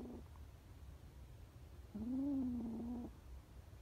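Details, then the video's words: A scared homeless kitten gives a single loud, sustained meow of about one second, steady in pitch, after a short faint call at the start; quiet low background hum. "scared kittens"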